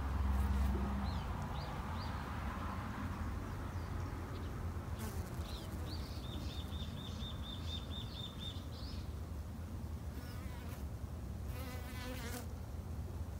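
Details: Backyard-kept Japanese honey bees droning in a continuous low hum, overlaid by brief high bird chirps in a quick repeated run and a few scratchy sounds near the end.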